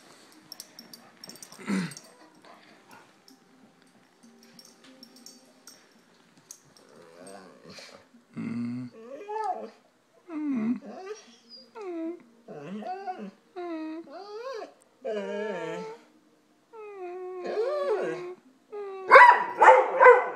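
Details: Golden retriever vocalising in a talking-like way: quiet whimpers, then a series of short bent whining howls each about a second long, separated by brief pauses, ending in a louder howl; a person hums and speaks afterwards.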